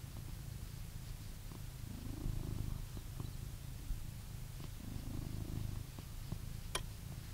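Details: Blue British Shorthair cat living in England purring, a continuous deep vibrating rumble that swells gently in slow cycles as it breathes in and out, with a small click near the end.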